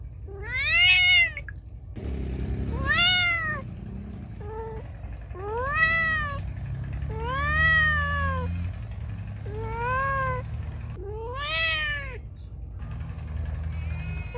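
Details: Loud meowing from a feral cat, a run of seven arched, tonal meows of varying length, some short and clipped, others long, with low rumbling background noise between calls.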